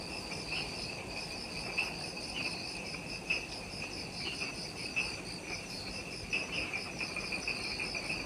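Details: Insects chorusing in Ishigaki Island forest, Okinawa, Japan, just after sunset at the Mount Omoto trailhead: bright, continuous high-pitched pulsing trills with brief louder chirps recurring every second or so, little background noise.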